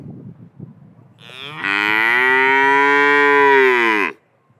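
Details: A black and white cow stands in a pasture, lowing once in a sustained, even moo of nearly three seconds that drops off sharply at the end, with light rustling before it.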